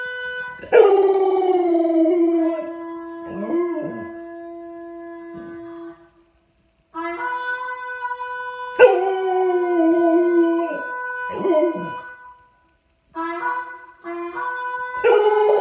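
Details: A Chow Chow dog howling: long, steady, drawn-out tonal howls with rich overtones, broken by short pauses and brief wavering, yelping notes, then resuming in three separate bouts.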